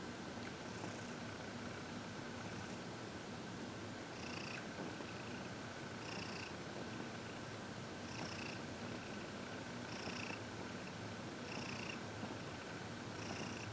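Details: Heidi, a happy 14-year-old senior cat adopted from the Humane Society of New York City, purring indoors while receiving massage and reiki on February 22, 2021; soft breathy pulses recur roughly every two seconds over a steady hiss.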